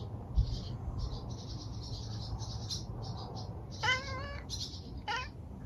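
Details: Garden cat in New Zealand chattering while watching a bird: two brief stacked chirping bursts near the end, following several seconds of soft high bird twittering and low steady hum.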